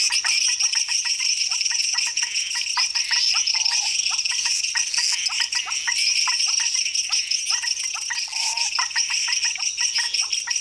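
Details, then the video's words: A dense night chorus of frogs in Costa Rica, a steady wash of high clicks, chirps and trills. "Costa Rican Frog Chorus"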